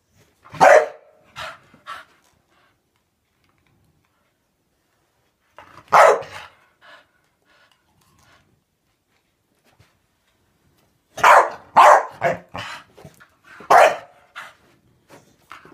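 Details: Staffie going after bubbles, its mortal enemy, giving sharp barks in scattered bursts: one double bark, a single bark after a long gap, then a rapid cluster of three or four near the end.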